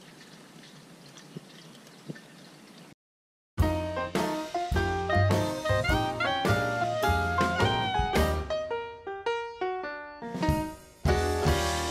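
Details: A quiet, hissy pause gives way to a brief silence, then bright brass-led jazzy music with rhythmic notes.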